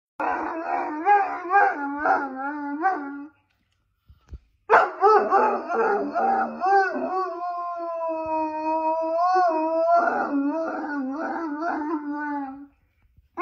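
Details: A pet wolfhound complaining: wavering, moaning howls rise and fall for about three seconds. After a short silence comes one long, sustained, yodelling howl of about eight seconds with pitch wobbles, ending in quiet.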